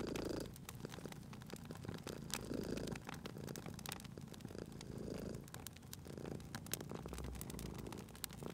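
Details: Cat asleep beside a crackling fire, purring softly in a cozy spring ambience; a quiet, low rumbling purr comes in short swells about every second and a half, under frequent sharp crackles of burning wood.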